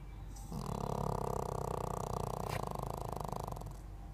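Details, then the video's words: Sleeping Pekingese giving one long, rattling snore of about three seconds, with a rapid fluttering buzz throughout, then quiet breathing. "Snoring Pekingese"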